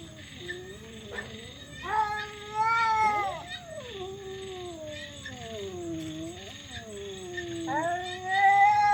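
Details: Domestic cats fighting give loud, weird, drawn-out wailing howls that slide up and down in pitch, overlapping and rising to harsh peaks, with a steady high insect-like hiss behind.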